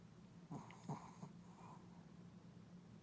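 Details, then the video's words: A puppy snores with two short, snorting inhalations in quick succession, then a faint, breathy exhale against a low, steady indoor hum. "강아지 코골이"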